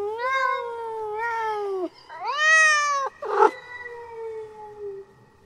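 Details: A female domestic cat in heat calls to mate with a run of nasal, wavering yowls, each about a second long, rising then falling, ending in a long, slowly fading moan.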